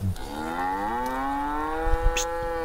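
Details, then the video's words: Angry cow trapped in an irrigation ditch beside a grass field, giving one long drawn-out moo, rich in harmonics, that rises slightly and then holds steady for about two and a half seconds, with light background noise. "Sapi NGAMUK Terjebak Dalam Saluran Irigasi - Suara Sapi Lembu"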